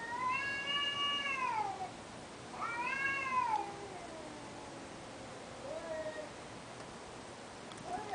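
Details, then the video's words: Cat wailing indoors: long drawn-out tonal howls with rich harmonics, first two rising then sliding down over about two seconds each, followed by a fainter shorter wail and a brief upward call at the end. "cat wails"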